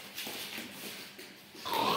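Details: Kittu, a female Siberian Husky kept as a pet, excited after hearing talk of going out: soft snuffling, grunting noises, then a sudden louder, high-pitched whine in the final quarter-second, indoors.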